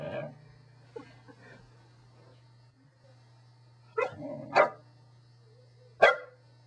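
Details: Corgi. A corgi barks in short, sharp bursts, two close together and then one more a moment later. A steady low hum runs underneath throughout.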